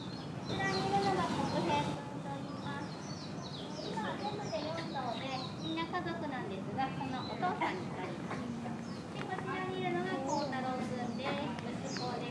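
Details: Chimpanzees at Nogeyama Zoo, Japan, in June 2024, calling out at snack time: a dense, overlapping run of squeaky, rising and falling harmonic calls, brief and rapid, with a louder burst near the start over steady background murmur.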